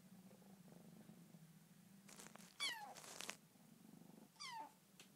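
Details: Bengal kitten talking indoors in her new home: a low steady hum and rustling, then two loud, descending meows, the first drawn out and strained, the second shorter, with scuffling noises between them.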